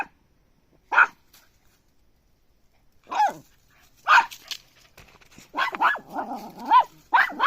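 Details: Puppy yapping in single high barks spaced one to two seconds apart, then a quicker run of wavering, whiny yelps toward the end; no other sounds.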